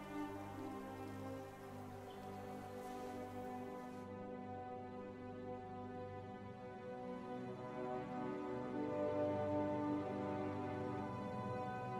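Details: Slow orchestral music with sustained tones throughout and no animal voices.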